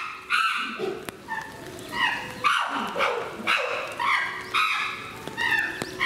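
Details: Chimpanzees (Pan troglodytes) at Higashiyama Zoo, Aichi, Japan, on 18 November 2017, give loud, harmonic hooting and shrieking calls in quick overlapping bursts.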